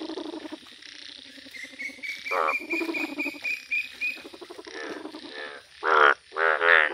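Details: Yellow Indian bullfrogs in a village, giving harsh, buzzy croaks in irregular bursts that build to loud, rapid calls near the end, over a steady high whine and a sustained thin tone.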